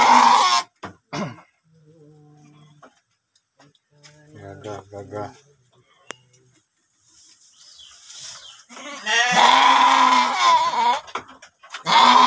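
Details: Penned male sheep, two animals kept in a shed and about to be given water; loud wavering bleats open the recording and return near the end, with softer rustling, knocks and brief murmurs between them.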